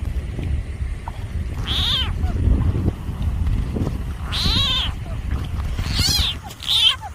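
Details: A frog confronted by a snake gives loud, wailing, harmonic cries that slide downward, in several separate bursts.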